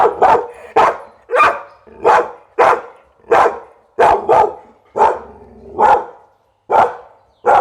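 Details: Pit Bull barking in a rapid series, about a dozen sharp, loud barks in under eight seconds, some coming in quick pairs, with short silent gaps between them.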